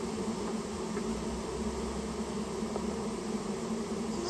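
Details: Japanese honey bees from a colony built inside someone's storehouse, being removed on request. A thick, continuous droning hum holds an even pitch with layered overtones and a soft low rumble beneath.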